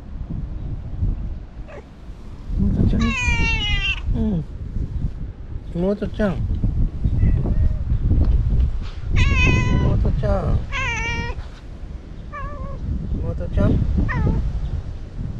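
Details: Talkative stray cat called Imouto-chan, outdoors: a run of drawn-out, wavering meows, some rising then falling, in several bursts, with a person talking softly and steady low rumbling background noise.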